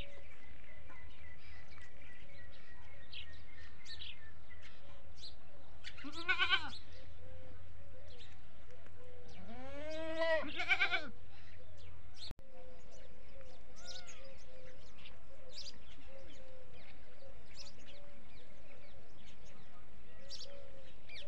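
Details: Farm goats bleating mainly for feeding, one call drawing replies from the rest; two loud vibrating bleats around six and ten seconds over a low hum, with faint chirps and clicks elsewhere.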